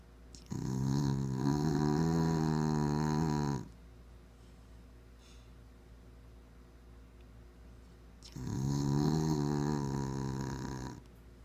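A Bull Terrier snores in long, rumbling, buzzy breaths, with a quiet pause between them.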